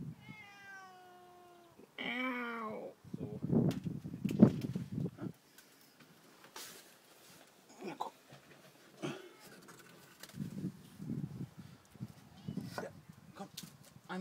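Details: Cat stranded on a lower roof, unable to climb back up the ramp, calls with two loud meows: the first steady, the second higher and bending downward. A man then talks in German amid rustling and thumps.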